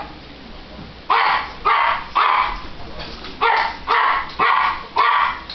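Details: Italian greyhound pets Button and Sugar, the tiny seven-pound Sugar billed as pure terror, barking indoors: seven sharp, high yapping barks, roughly two per second after a low background growl.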